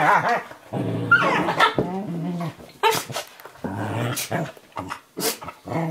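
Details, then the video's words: Play wrestling between a Eurohound puppy about 11 weeks old and an adult Nova Scotia Duck Tolling Retriever in a kitchen; loud, harmonic growls and snarls come in long rolling bursts, with a few sharp barks and scuffling noises. "My puppy Firenza and Brio playing in the kitchen"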